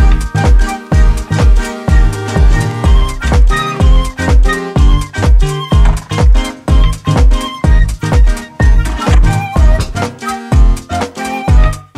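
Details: Upbeat, steadily pulsing dance music with strong bass beats plays throughout, with no animal sounds.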